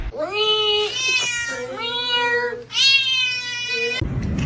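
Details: Domestic cat giving three drawn-out meows, each rich in harmonics, the middle one slightly falling and the last loud and bright, with a brief noisy burst at the end.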